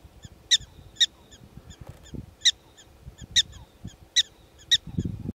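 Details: Wild prairie dogs in Theodore Roosevelt National Park: a regular series of piercing barking chirps roughly every second, fainter calls in between, with low rumbling noise throughout.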